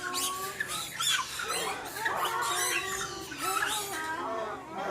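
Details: Formosan rock macaques at a zoo, recorded 14 February 2020: a dense chorus of overlapping harsh squawks and warbling, wavering squeals that rise and fall continuously for the whole five seconds.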